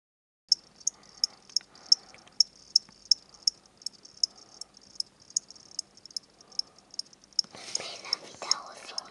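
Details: Two pet crickets bought from a pet shop, where they are sold as reptile food, kept indoors by a child. Sharp high chirps repeat steadily about three times a second, with a burst of rustling noise near the end.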